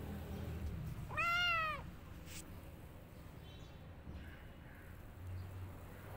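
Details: A kitten hiding in a jacket gives a single drawn-out meow with a rising then falling pitch, followed by a faint rustle and low background hum.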